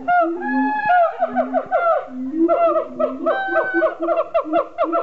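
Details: Siamangs at Honolulu Zoo in 2012 call loudly, mixing low booming notes with rising and falling barks and hoots that repeat over and over in a dense, overlapping chorus.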